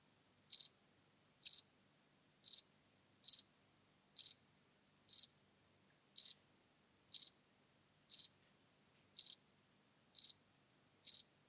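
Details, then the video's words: Seewiesen, Germany, 4 January 2021: a house cricket gives bright, high-pitched chirps at a steady pace of about one per second, each chirp short and clean against silence. "Acheta domesticus -- Heimchen -- House-cricket"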